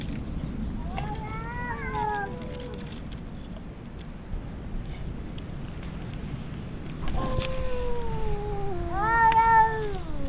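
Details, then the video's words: Two stray colony cats, the largest resident and an intruder, sit facing each other and meow very loudly while others eat canned food; one wavering meow early, then a long sustained howl and a rising-falling meow near the end. "Feeding stray cats to the sound of cats meowing loudly"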